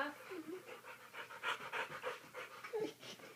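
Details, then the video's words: A dog wrestling pants in rapid, irregular breaths, about three per second, with soft squeaky whines mixed in and a person's voice close by. "Lazy Dog Wrestling"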